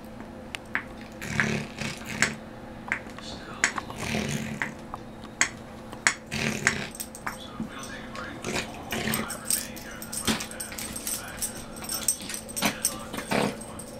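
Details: In a small office, Benji, a Maltese/Yorkie cross (Morkie) always on the move, plays with his toys in the morning. A chronic nose problem makes him snort and snuffle. Rough, breathy huffs repeat irregularly over sharp clicks and rattles from the toys.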